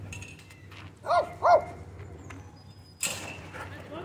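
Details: At a dog park entrance during a dogfight that owners hurry to break up, a dog gives two loud, sharp barks in quick succession, followed by a clatter and low voices.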